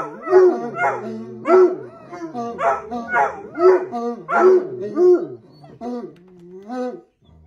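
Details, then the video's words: Bloodhounds howling out of excitement produce a run of short, bouncing, baying notes, each arching up and down, repeated about twice a second before trailing off into softer, lower wavering cries near the end. "Howling Bloodhounds"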